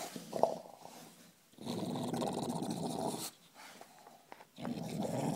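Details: A bulldog growling indoors in long rough rasping bursts, two sustained rumbles of about one and a half seconds each separated by quieter pauses, sounding like bubbling through a bong.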